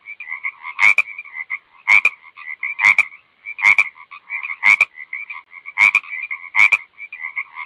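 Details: Steady frog calling, rasping two-tone trill with loud click bursts about once a second, a few coming in close pairs, on an otherwise quiet background.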